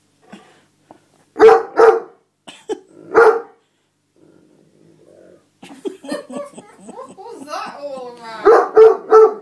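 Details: Max, an Otterhound/Spinone mix dog, throwing a tantrum because his seat was taken: a few short, loud, rough barks in quick succession, then a person talks while more barks and grumbling vocal noises come through.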